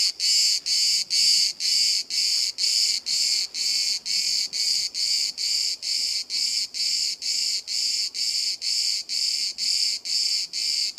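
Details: Close-range cicada singing at 5 cm in Bodrum, Turkey, one of hundreds chirping all day and hiding or falling silent when approached; high, hissing buzz pulsed in rapid regular bursts, about two per second, steady throughout.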